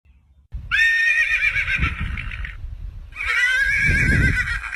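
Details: Horse whinnying twice, each a long wavering high-pitched neigh of about two seconds with a short gap between, over low rumbling background.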